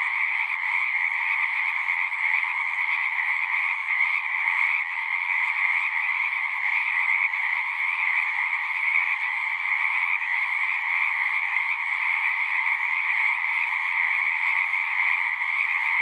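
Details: Singing frogs form a thick, unbroken chorus of overlapping trills, two bright bands of sound holding steady throughout, like a constant pulsing hum with no pauses and nothing else clearly heard.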